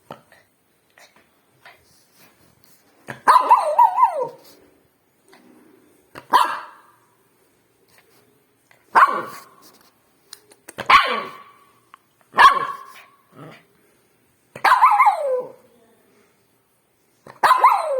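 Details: Pet dog barking in single loud sharp barks spaced about two to three seconds apart, seven barks in all, with short quiet gaps and faint clicks between them.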